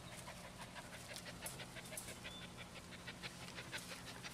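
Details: Rapid rhythmic panting, about two breaths per second, from twelve-week-old rescue pups of Beagle, Terrier, Cattle dog and GSP mix, adopted through Lonely Hearts Animal Rescue; soft hiss-like exhalations over a low electrical hum.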